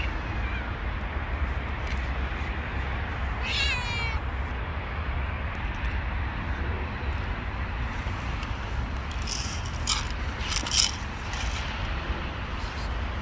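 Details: Hungry stray mother cat and kitten living on the street run up meowing to ask for food; a single clear, harmonic, wavering meow rises out of steady low traffic rumble, followed later by a few sharp tapping noises.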